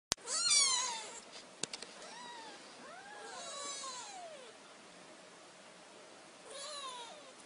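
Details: A just-woken kitten gives a series of thin, high, arching meows, each rising then falling in pitch.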